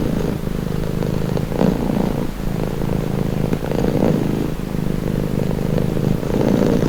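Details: Calming purr of a pet cat: a low vibrating drone rising and falling in breath-length surges, briefly dipping just past two seconds before resuming steadily to the end.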